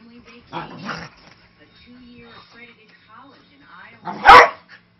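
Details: Vocal five-year-old Manchester Terrier mix at rough play with a young husky lab mix puppy, sounding fierce but harmless; soft whines and speech at first, then one loud, explosive bark near the end.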